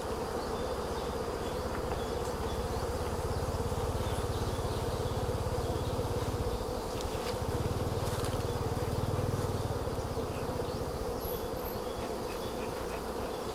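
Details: Honey bees at a hive during a honey harvest in Kampong Cham province, Cambodia; a dense, steady low buzzing hum fills the whole stretch, with faint rustling and handling noise over it.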